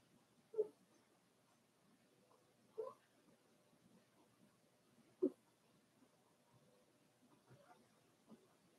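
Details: Inside a puppy pen, four-week-old Cavalier King Charles Spaniel pups make brief high squeaks every two to three seconds, three clear ones followed by fainter peeps against a low steady room hiss.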